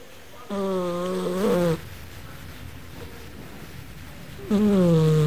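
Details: Sleeping cat snoring like a person: two drawn-out, droning snores with a slightly falling pitch, each lasting about a second, separated by a quiet breath and about three seconds of steady background hiss.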